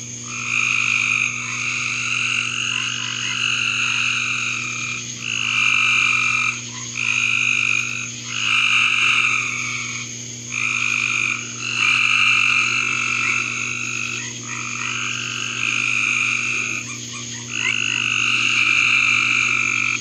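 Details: Frogs in a backyard call in long, rapid trills broken by short pauses every second or two.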